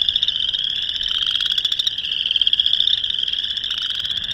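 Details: Boreal chorus frogs giving mating calls in March 2021, Northern Illinois: a dense chorus of rapid rising pulsed trills, overlapping so the sound is a near-continuous high rattling drone with no clear gaps.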